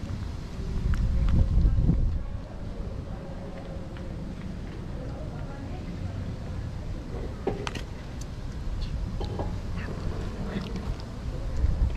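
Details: Low traffic rumble runs under a person talking, with a few faint clicks and knocks outdoors.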